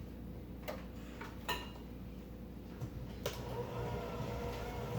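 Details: Quiet indoor room tone with a steady low hum, a few soft clicks and knocks, and no animal voice.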